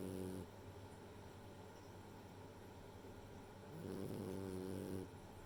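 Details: A female French Bulldog, Rei, asleep and snoring: one short snore at the start, a quiet gap, then a longer rasping snore just before the end.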